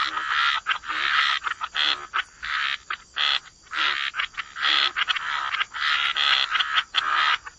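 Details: Frogs croaking by the waterside in a wetland: short rasping, pulsed croaks in quick bursts, each under half a second, with brief gaps between them as several callers overlap.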